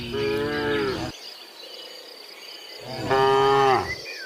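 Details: Two short lowing calls from tame cattle in woodland, each about a second long with a steady, nasal tone, separated by a pause filled with faint crickets and distant bird notes.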